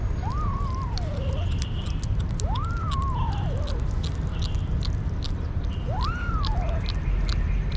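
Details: Hungry stray kitten from the street crying for food, three clear meows spaced about two seconds apart, each rising then falling in a drawn-out arc, over constant low rumbling noise and faint clicks.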